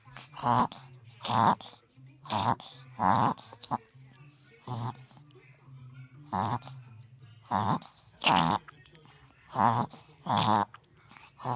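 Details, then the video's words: Small pet dog in a reverse sneezing fit, an inward sneezing that is like a sneeze done backwards: about thirteen harsh, honking, snorting gasps come in bursts roughly once a second, with short quiet gaps between them. "Inward Sneezing"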